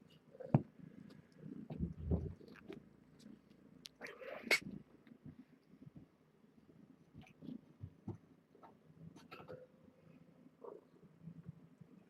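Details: Kittens of a seven-kitten litter born June 21 to stray Nala Se, kept at Purrfect Pals, heard during a weigh-in indoors. A single loud, bending kitten meow rises out of soft thumps and shuffling; faint squeaks follow later.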